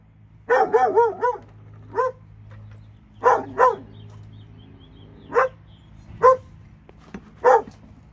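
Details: Alabama dog, one of two, opening with a rapid run of wavering yelping barks, then spaced single barks and pairs, over a low steady hum.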